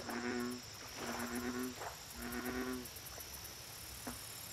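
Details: Lake chorus of American bullfrogs: three low, pulsed, humming notes roughly a second apart, then quieter water-side ambience with a continuous high-pitched insect drone.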